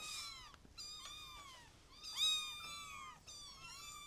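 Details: Overlapping high, thin kitten meows: quick downward-curving squeals from more than one kitten, crowded together in a clean, quiet space.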